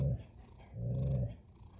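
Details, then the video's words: Close, loud snore from a cat: a brief rumbling burst, a pause, then a longer deep rumble lasting about half a second before fading. "A snoring cat"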